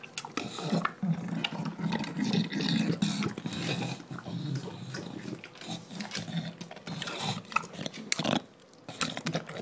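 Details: A male English Bulldog gulps his dinner with loud snorting, grunting breaths and wet chomping.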